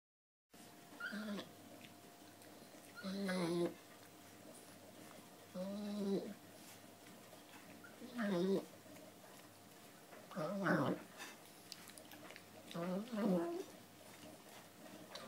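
A Boston Terrier makes short, throaty grunting noises while eating, repeated every few seconds.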